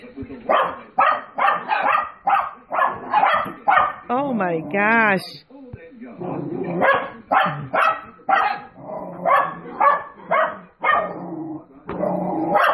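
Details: Two puppies indoors barking at dogs shown on a television: sharp, broadband barks in quick bursts about twice a second, broken by a brief warbling, wavering tone midway, with television voices and sounds underneath.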